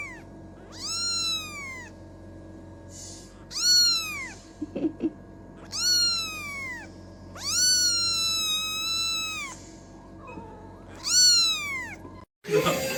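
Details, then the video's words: Kitten giving a steady run of about six high, clear meows, each rising then sliding down in pitch, spaced one to two seconds apart, with a faint background hum. "This Tiny Meow Changed My Whole Day"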